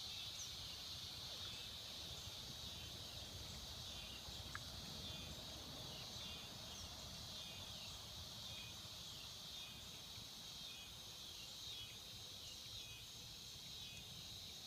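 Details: Swamp cicadas keep up a dense, unbroken high-pitched hiss, steady throughout, over a soft low rumble of background noise with one faint click.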